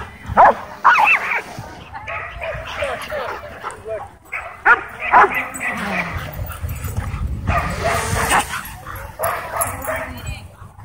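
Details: Dogs in a wild frenzy at a dog park as a DJI Mavic 2 drone passes overhead, giving loud, sharp barks in irregular clusters over background noise and human voices.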